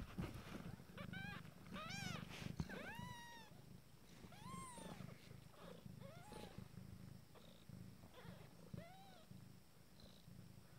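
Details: Abyssinian kittens nine days old give a run of high, thin, arched mews, several overlapping, each rising then falling with clear harmonics, over a steady low rumbling purr.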